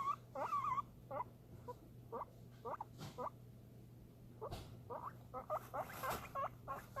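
A guinea pig gives a run of short, squeaky rising whistles, excited about food.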